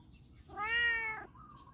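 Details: Domestic cat meowing indoors while walking around the house, as the owner says it need not cry; a single clear, tonal meow under a second long, steady then slightly falling, followed by a faint softer sound.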